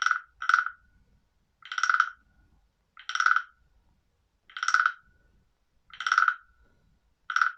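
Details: Bell-like frog notes, bright and metallic with a short ringing tail, sounding about every one to one and a half seconds, one brief double note at the start, against near silence.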